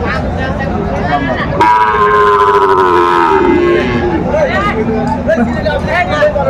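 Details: Sahiwal bull calf at a cattle market in Chattogram, Bangladesh, on 7 December 2024: a loud, drawn-out moo of about two seconds, slightly falling at the end, over steady market chatter and men's voices.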